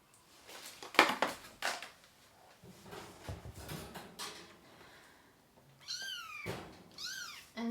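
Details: Kittens crying while a mother cat and her three kittens are dewormed indoors; several seconds of rustling and handling noise give way to two high, arching kitten meows near the end.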